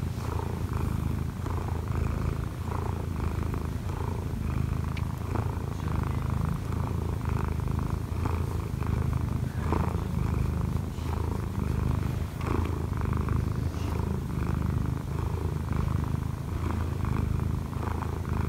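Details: Kneading on its owner in the morning, the odd-eyed Munchkin cat Kkobugi, aged one year four months, gives a loud steady purr: a low buzzing rumble swelling slightly with each in and out breath, with occasional soft rustles.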